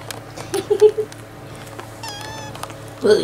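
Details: Young barn kittens, 4.5 weeks old, in a farm shed. Three short mews come in quick succession, then a louder, bending cry closes the clip. A whistled quail note sounds in between.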